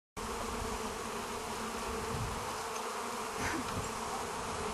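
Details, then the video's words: Bees being hand-fed by a woman: a dense, steady, continuous buzz of many insects fills the recording from start to end at an even loudness, with no gaps or other clear sounds. "Busy Bees"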